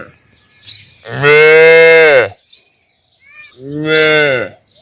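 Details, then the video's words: Young calf giving two drawn-out moos about two seconds apart. The first is longer and louder, and both are even and nasal-sounding with a slight drop at the end. "Cute Baby Cow Sound Mooing"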